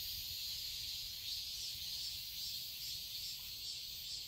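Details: A steady wall of shrill cicada buzzing fills a summer garden in Seoul, Korea. The chorus pulses gently in strength, with a faint low background rumble.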